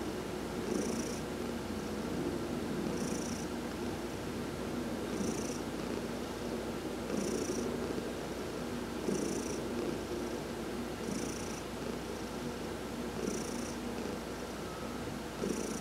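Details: Heidi, a pet cat, purrs continuously under a massage while sunbathing, November 19, 2020. The deep, even rumble holds steady for the whole stretch, overlaid by faint airy high bursts that recur regularly about every two seconds.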